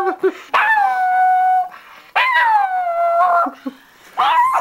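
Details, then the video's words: Dagger, a Chihuahua, howls with a sock in his mouth: three drawn-out, wavering, fairly high-pitched howls rich in overtones, each about a second long, separated by brief gaps with small yips between them. "dagger the chihuahua howling with a sock in his mouth"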